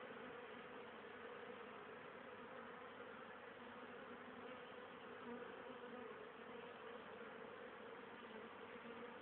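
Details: Honey bees from a hive on 10 October, still very active late in the year, bringing home pollen and nectar for winter stores; a steady dense hum of many wings with a band around the middle tones, no other sounds.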